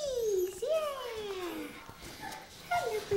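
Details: Two male apricot poodle puppies, three weeks old, eyes newly open but ears not yet; thin high whining cries that slide downward, a long falling whine, a second drawn-out descending one, then a short final whimper.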